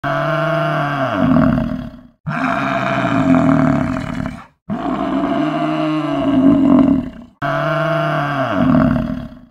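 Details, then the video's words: Buffalo giving long, loud, deep moaning bellows, each lasting about two seconds with a rich harmonic tone that dips and swells, repeated four times with brief silent gaps between. "BUFFALO VOICE"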